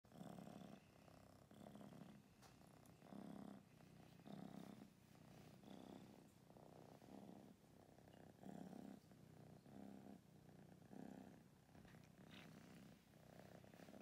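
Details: Domestic kittens, one of two rescued from a street and rehomed in Berlin, purring steadily at low volume; a soft rhythmic rumble pulses about every second with faint clicks and household rustling.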